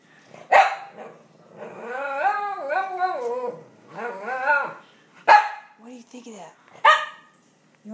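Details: Cavalier King Charles Spaniel indoors barking at a toy dog pictured on a box, seen as an invader in his home: three sharp, loud single barks, with a woman talking to him in a high, sing-song voice between them.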